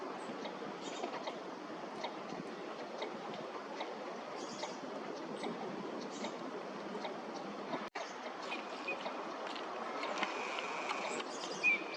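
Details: A steady broadband rush like distant traffic or running water fills the recording, with no clear animal calls standing out.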